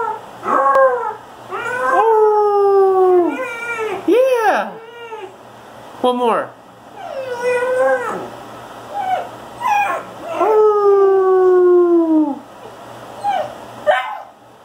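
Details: A Basset Hound gives its first howl, long, falling, slightly wavering notes broken by shorter yelps.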